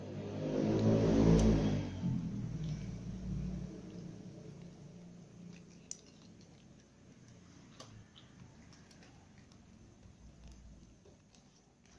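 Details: A low rumble swells and fades over the first few seconds, followed by faint scattered clicks and taps in a quiet indoor space.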